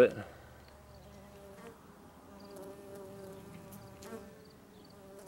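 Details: Green sweat bee foraging among flowers in Tonopah, Arizona, spring 2015, Sony HandyCam recording: after a sharp knock at the start, a soft continuous humming buzz drones on, gently swelling and fading.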